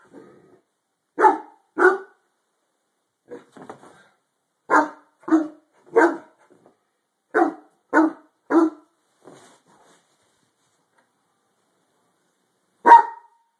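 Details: Indoor barking by a harlequin Great Dane reacting to something beneath a bed: irregular deep barks in pairs and short groups, with a few softer muffled sounds between them, then a long quiet gap before a final single bark.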